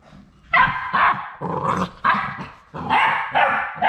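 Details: Final three Labrador Retriever puppies at High Desert Labradors, on the day they leave for new homes, utter a handful of pitched, whining yelps in quick bursts, separated by brief pauses and faint scuffling.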